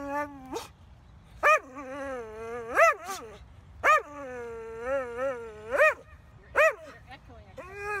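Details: Excited dog Gem going crazy over a squirrel, letting out long quavering whines punctuated by sharp, loud yelps every second or two, the pitch sliding up and down throughout.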